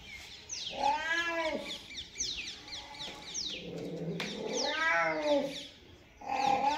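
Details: Cat meowing: drawn-out wavering meows with many harmonics rising then falling, two main calls about four seconds apart with a shorter one at the end, over faint background noise.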